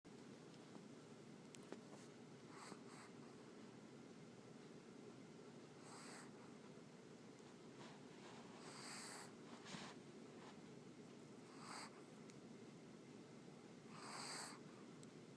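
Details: Teddy, a pet dog, snoring loudly while asleep indoors: soft breathy snores with hissy upper tones recur about every three seconds over a steady low room hum.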